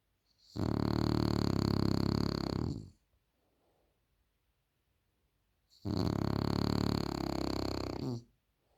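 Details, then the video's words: French Bulldog snoring too loud, two long coarse rumbling breaths of over two seconds each, separated by roughly three seconds of quiet breathing. "The French Bulldog Snores Too Loud"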